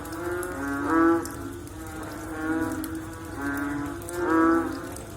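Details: Post-rain frog calling: four drawn-out, bleating, harmonic moans, the first and last the loudest, over a soft continuous chorus.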